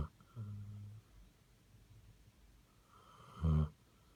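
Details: Basset Hound asleep, a soft low hum of exhaled breath, a quiet pause, then a short loud rasping snore near the end.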